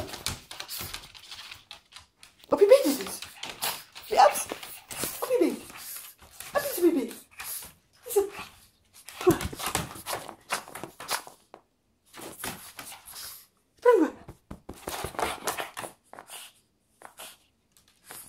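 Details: Louis, a Pekingese indoors in a small room, wanting to go to sleep, gives a series of drawn-out, falling whines and grumbles every second or two, separated by quiet pauses.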